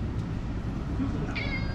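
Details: Stray tuxedo-patterned cat in an air-conditioned waiting room during a summer of extreme heat; one short, bright meow near the end that slides gently downward, over a steady low hum of room noise.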